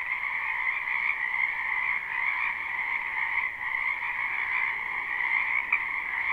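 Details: Frogs calling in a spring wetland behind a house, live recording without looping: a dense, steady chorus of overlapping trilled croaks forming continuous bands, with a faint click near the end.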